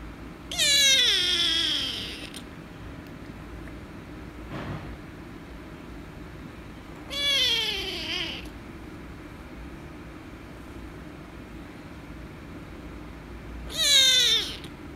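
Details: Rescue kitten, angry when petted, gives three loud drawn-out meows spaced roughly six seconds apart, each starting high and sliding downward, with a soft thump between the first two and quiet room noise throughout.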